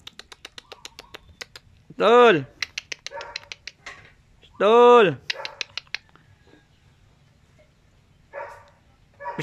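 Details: Jack Russell Terrier eating kangkong: two loud harmonic barks about three seconds apart, with clicking chewing sounds between and a person speaking nearby.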